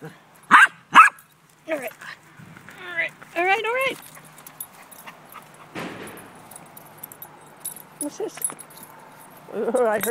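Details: Gracie the dog at play with a ball: two sharp barks open, followed by wavering, warbling whines and a few softer yelps, mixed with a person talking to her.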